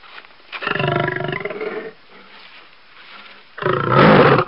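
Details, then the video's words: Lion roaring twice: a rough, pulsed roar lasting over a second, a low quiet growl-like rumble between, then a louder, harsher roar at the end. "Lion Roar"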